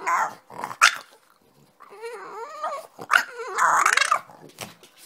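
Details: French Bulldog, rested after sleeping, jumps off the bed and rouses its owner, who it thinks is sleeping too late, with short barks and warbling, grumbling growls.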